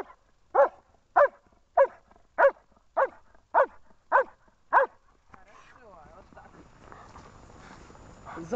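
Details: Protection training in Horlivka on 14 February 2021 with the German Shepherd Amur: eight forceful barks come roughly every 0.6 seconds, then give way to scuffling, rustling noise.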